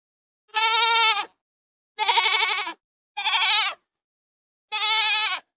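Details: Goat bleating: four separate wavering, harmonic-rich bleats, each under a second long and spaced about a second apart, with clean silence in between.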